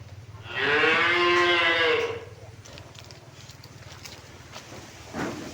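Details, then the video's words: A tame village cow among a herd returning to its pen gives one bright, drawn-out moo of about a second and a half, followed by quiet rustling and a low hum. "Suara Sapi Lembu Jinak Pulang Kandang"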